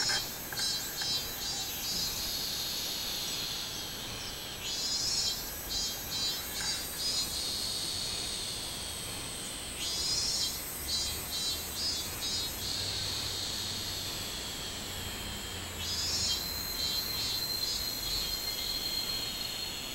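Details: A robust cicada (minmin cicada) sings loud, shrill pulsed phrases that swell and fade every five or six seconds, recorded in July; Robust cicada.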